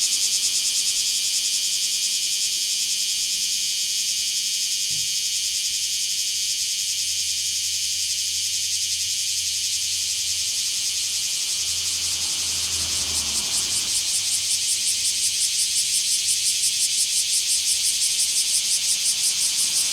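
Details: Bear cicada in a small park on 24 July 2026, a continuous shrill buzzing wall of sound that turns into clear rhythmic pulses in the later seconds, with low engine-like rumbles in between.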